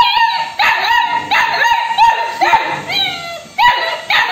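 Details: Labrador Retriever puppy, female, asking for food and arguing with her owner: a rapid run of high, strained whining yelps with bent, wavering tones, repeated roughly twice a second, nearly continuous.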